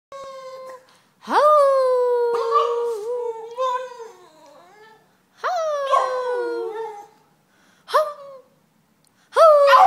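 A Boston terrier gives drawn-out, tonal yowls that jump up sharply and then slide slowly downward.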